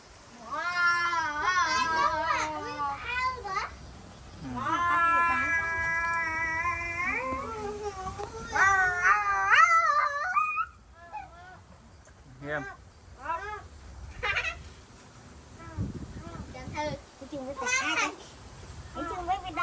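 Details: Many small calves in a pen on a rural cattle farm, crying for their absent mothers. Loud, high, drawn-out bawling calls lasting two to three seconds, wavering and overlapping, then shorter broken cries, with people talking nearby.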